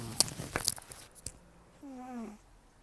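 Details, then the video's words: Elderly rescued cat named Taro, estimated 10 to 14 years old, rescued in October 2024, with almost no teeth after gum disease and long outdoor life, snoring roughly while asleep indoors: one tonal, falling, nasal snore after soft clicking rustles. "ねこのいびき 猫 いびき"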